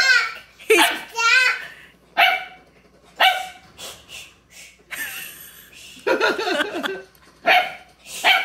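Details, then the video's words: Puppy named Beenie in his first week at a new home, barking for the first time and seeming to like his own voice; short sharp yaps come in bursts through the clip, mixed with children's voices and speech. "First Time Puppy Hears Himself"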